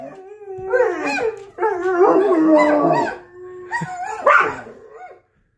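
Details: Dogs howling in overlapping, wavering tones, several voices rising and falling together in a dense chorus for about four seconds, then a final brief upward howl.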